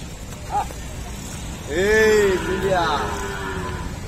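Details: Nine-month pregnant Jafarabadi buffalo, a milking breed on a dairy farm in India, utters a drawn-out moo that rises and then slowly falls over nearly two seconds, after a faint short grunt.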